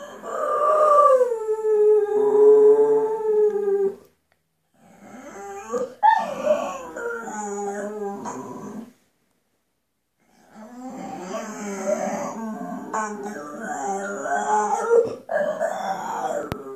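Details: Howling Bull Terrier named Gloria in a singing bout: a sustained wavering howl, then silence, followed by broken, yodelling whines and howls in several uneven phrases.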